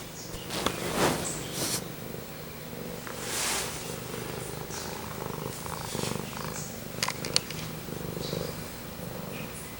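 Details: Cat purring near the microphone, a soft low rumble with breathy noise and several rustling bursts and clicks.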